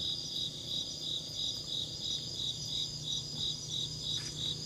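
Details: Insect chirps as a rhythmic series of sharp, high buzzy pulses, about three each second, very even in pace and loudness, over a quiet low hum.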